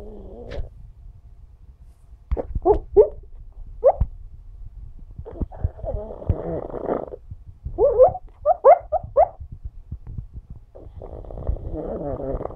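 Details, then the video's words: Pug named Alfie asleep and dreaming, giving soft snuffling snores and scattered short squeaky whimpers, a few quick yips bunched together near the middle, then a longer muffled groan at the end. "Alfie Pug Snoring And Dreaming"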